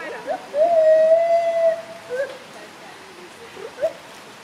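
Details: Gibbon voice: a short upturned hoot, then one clear, sustained whistle-like note held level for over a second, trailing into faint hoots and a final brief upslur, with a constant watery hiss behind.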